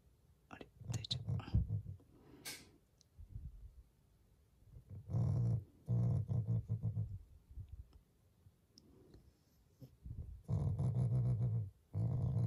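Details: A Shiba Inu, a loving family pet, growls as a display of affection toward its owners rather than anger. Deep, rumbling growls come in bursts of about a second, separated by quieter stretches with soft clicks and small household sounds.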